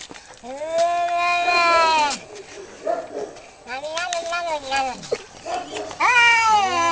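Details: Cats fighting: long wavering yowls with rich harmonics, each drawn out for over a second, rising and sagging in pitch, broken by short pauses and softer growling murmurs between bouts.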